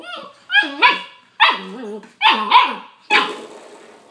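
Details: Young puppy attacking a doorstop indoors, letting out a run of high, yappy barks in pairs and short bursts, each with a rising-falling squeaky tone, about five bursts in four seconds in a small room.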